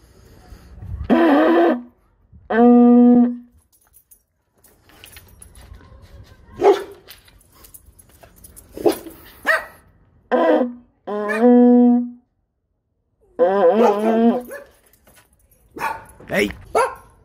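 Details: A pet dog barking indoors while its owner asks what it is barking at: short sharp barks and a few longer tonal yelps in bursts, separated by quiet gaps, with light background music.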